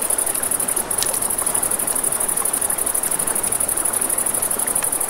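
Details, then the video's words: Crickets at night by a river, a steady high, rapidly pulsing trill running throughout, with crackling campfire pops and snaps and the soft rush of flowing water underneath. "Crackling Fire, Crickets, Ambient Nature Sounds"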